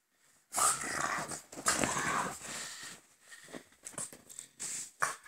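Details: French Bulldogs Gonzothunder and Turbopanda, a father and son pair, produce harsh, wheezy grunting and snorting: a long noisy burst starting about half a second in, then a run of shorter rasping snorts and huffs.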